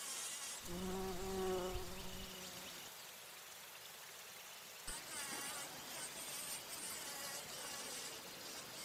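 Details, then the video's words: Bumblebee in flight around nectar flowers, droning with a deep, overtone-rich hum for about two seconds, followed by a quieter, thinner tone and then bright high-pitched insect hiss. "Bee humming / buzzing sounds | Bumble"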